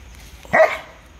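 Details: Dog fight between a Belgian Malinois, a German Shepherd and a Rottweiler: a single short, harsh bark rising sharply then fading within a quarter second, followed by quiet.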